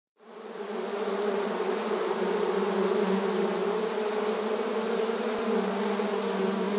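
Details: Honey bees busy in front of their hive entrance in a rural setting; a dense, steady, low droning hum of many wings rises within the first quarter second and then holds unbroken, with a richer higher hiss above.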